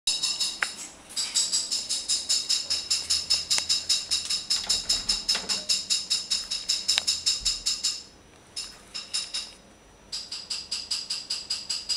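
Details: Fast, regular high-pitched clicking and rattling, like a tambourine or rapid crunching, repeating about two or three times per second with two brief pauses; no animal voice is heard.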